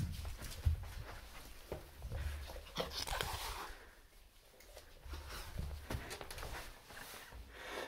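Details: A Turkish Van cat being introduced to a new roommate hisses in breathy bursts over a low, rumbling growl.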